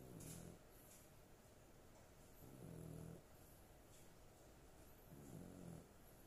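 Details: A sleeping dog snores in low, rumbling breaths, one every two and a half seconds or so, each snore a short harmonic buzz about half a second long over quiet room hiss.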